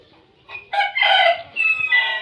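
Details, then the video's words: Newborn puppies from a litter of nine give high, harmonic whining squeals in several short bursts, rising and wavering, the loudest cry near the middle followed by two more drawn-out whines, with a quiet room behind. "Nine puppies was born"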